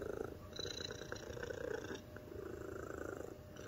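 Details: Mixed-breed domestic cat, an American Shorthair × Chinchilla Golden cross, white, overweight and spayed, purring indoors: a steady, fast, rhythmic rumble, pulsing evenly throughout, with a faint thin high tone in the background.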